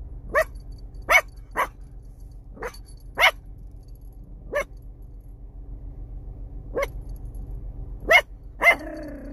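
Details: Chihuahua puppy giving sharp, high yapping barks, some single and some in quick pairs, about nine across nine seconds. The last bark trails into a short whine. A low steady hum runs underneath.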